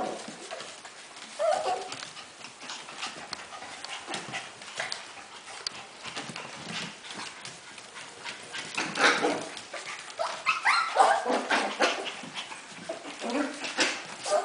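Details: Havanese puppies from one litter, producing short squeaky whimpers amid scrabbling, clicking movement noises and scattered rustles, with brief tonal squeals breaking through irregularly.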